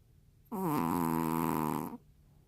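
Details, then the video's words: Sleeping Maltese dog named Juni snores indoors: one long, droning, harmonic-rich snore of about one and a half seconds that dips slightly in pitch before holding steady, with quiet room between. "말티즈 주니 코골이~"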